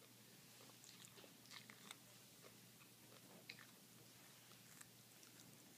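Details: Pet toy poodles indoors eating carrots they love; faint, irregular crisp crunches and bites scattered through a small room, with a low steady hum behind.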